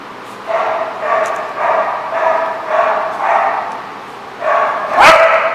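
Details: Dog barking in a series of mid-pitched, evenly spaced barks about every half second, with a sharp louder bark near the end.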